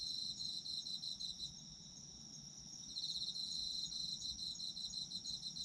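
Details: Autumn insects chirping: a high, shimmering pulsed trill runs through most of the recording, easing to a softer stretch around the middle before swelling again, over a steady thin high-pitched whine from other callers.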